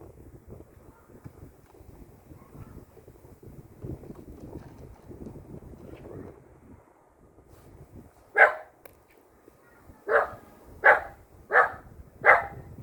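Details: Six-year-old female silver poodle in Namyangju, South Korea, which runs away in fear whenever she sees pillars. After a stretch of quiet rustling she gives five sharp, high barks, the last four spaced under a second apart.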